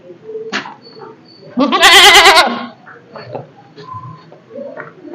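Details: Goats kept at home give loud, wavering bleats at their usual time to be let out to graze, calling because they expect to be released.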